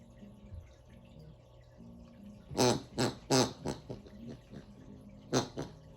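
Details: A Bernedoodle puppy playing with his toy makes a quick series of snorty, pig-like grunts over a low household hum.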